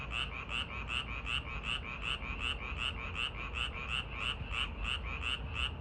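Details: Park frogs on a summer evening call in a fast, regular series of croaks, each brief and bright, around 162 a minute, with a faint low rumble underneath.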